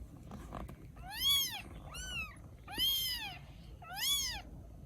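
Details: Rescued baby kittens in Vietnam cry with four arched meows spaced about a second apart, rising and falling in pitch, over a soft low background hum.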